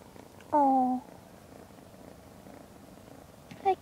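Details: Lavender, a 12-week-old female Ragdoll kitten, Point Lilac Bicolor, being brought home: one clear, steady, tonal meow lasting about half a second, then a short second cry near the end over a low background rumble.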